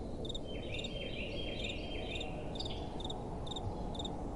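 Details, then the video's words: Night crickets chirping in short, high, pulsed bursts, joined by brief, lower, sliding tones from another caller, all over a steady wind rush. "Relaxing Night Time Sounds | Crickets & Soft Wind"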